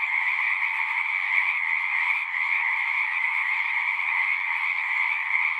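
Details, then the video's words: Frogs calling at a pond in a horse pasture, recorded on a Zoom 6: a dense, unbroken chorus of overlapping trills forming a steady high buzz with a brighter band above, no pauses or other sounds. "Frogs singing"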